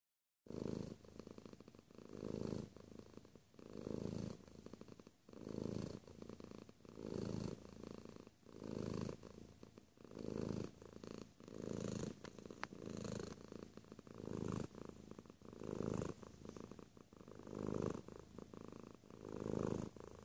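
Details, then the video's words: Domestic cat purring close up, a steady low rumble swelling and fading in regular breaths roughly every one and a half seconds, with soft rustling between strokes and no other voices. "Close Purr"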